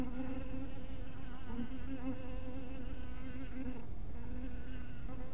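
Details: Honey bees at a little bee cottage in twilight, a continuous low hum with layered overtones that wobble gently in pitch, briefly dropping away just before the four-second mark, then resuming.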